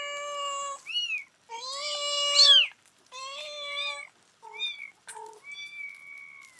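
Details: Nine-day-old kittens, born July 14, 2011, and their rescued mother calling them back after weighing; bright, strained meows, some flat and sustained, others sharply rising then falling, in quick bursts with short silences.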